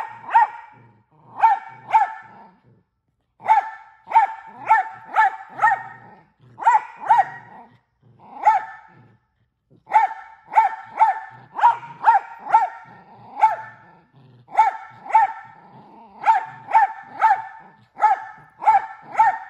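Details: Mini Australian Shepherd dog barking more than once a second, loud sharp barks in rapid clusters of two to five separated by short gaps, sustained and relentless throughout.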